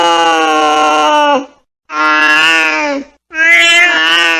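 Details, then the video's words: Three sustained angry yowls from a cat, each held about a second and a half, strained and wavering in the last one, with brief quiet gaps between them. "Angry Cat Sound"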